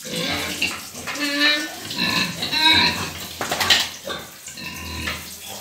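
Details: Crossbred desi pigs during a pig catch in Sikar, with loud harsh squeals and grunts in overlapping bursts, some high shrill squeals rising above, plus background voices.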